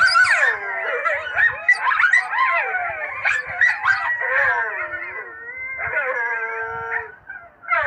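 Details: Coyotes yipping and howling in a chaotic chorus, quick sliding yelps tumbling over each other, ending in a few long, held howls before a fresh burst.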